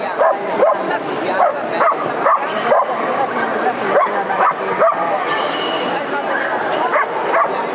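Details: Black-and-silver male Miniature Schnauzers in the intermediate class at the 2013 European Dog Show in Geneva; sharp, short barks repeat quickly and unevenly, about two per second, over a steady indoor murmur of crowd voices.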